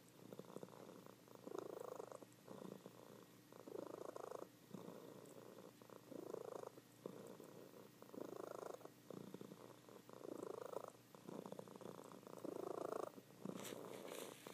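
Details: Indoor recording of a female house cat purring loudly in her sleep; rhythmic breathy rumble swelling on each breath, roughly one pulse per second and a half, a brief rustle near the end.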